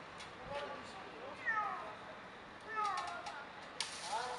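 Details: Frightened domestic cat being rescued from a tree in sector 4, Bucharest, Romania, gives three short, harmonic, rising-then-falling meows about a second and a half apart, with people talking in Romanian and faint clicks around it.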